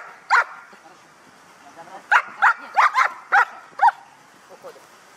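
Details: Guard dog at a Hà Tĩnh, Vietnam kennel during an item-guarding training exercise: one sharp, harsh bark, a pause of almost two seconds, then five quick barks roughly half a second apart, ending with faint softer sounds.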